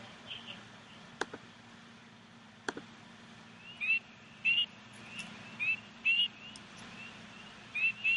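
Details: A male spring peeper gives its typical call, high, rising peeps repeated in quick bursts over a soft hiss.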